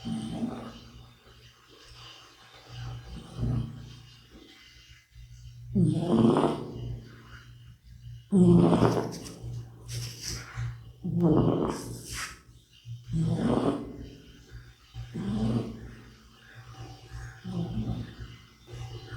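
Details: Bota, a middle-aged cat, snores while asleep: rough, rattling breaths recur about every two to three seconds, some louder and raspier than others, with a constant low background hum.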